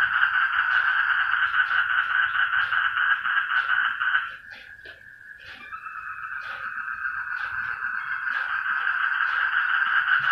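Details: A noisy group of frogs calling together, a dense, steady rattling chorus that fills the whole stretch, briefly dropping in volume midway before swelling back to full strength.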